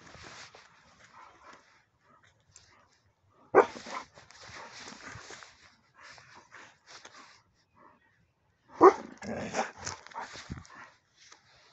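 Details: Alaskan Malamutes jumping with excitement at the sight of rams in a field: two loud harmonic yelping, woo-ing outbursts a few seconds apart, each trailing into rougher grumbles and whines, with quieter whimpers scattered between.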